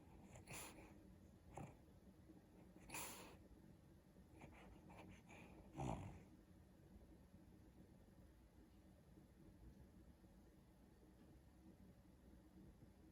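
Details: Daisy, a pet dog asleep on the back of a couch and dreaming, gives short breathy snorts and huffs, several sharp bursts in the first six seconds, then quiet room hush.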